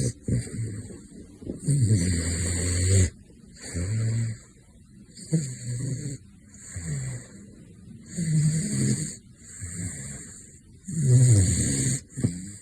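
A sleeping caracal snores in deep, rumbling breaths that swell and fade every few seconds.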